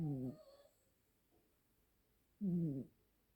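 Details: Snoring duet of two Siamese cat siblings. Two short, low, buzzing snores sit about two seconds apart, each with a wavering harmonic tone and a slight downward slide, with near silence between them.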